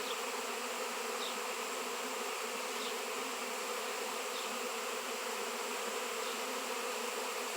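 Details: Dense swarm of honey bees drawn to a raw seven-pound piece of shungite, bees not seen locally for years; loud, unbroken, rich buzzing of many wings, steady throughout with faint higher flicks.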